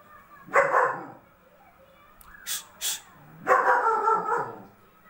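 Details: German Shepherd with a double coat barking in two longer, rough bursts about three seconds apart, with two brief sharp noises in between against a quiet background.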